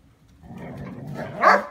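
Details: Two poodles, one wearing a protective collar, play cheerfully in the first snow. Quiet low rustling leads into a single short, sharp bark near the end.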